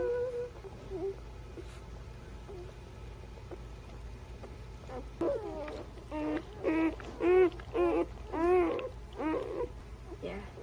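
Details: Newborn puppies between birth and three weeks old: quiet at first, then from midway a rapid series of short, arched, rising-and-falling squeaks, roughly two per second, growing louder toward the end.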